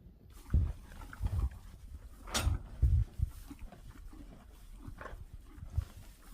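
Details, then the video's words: Cows eating: soft, irregular munching and crunching with low thumping chews and a brief sharp rustle midway. "Sound of eating cows. Otroligt mysigt att lyssna på när de äter."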